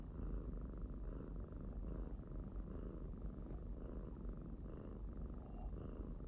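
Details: Close, soft purring from a pet domestic kitten: deep, buzzing and unbroken, rising and easing in regular breathing waves about once per second.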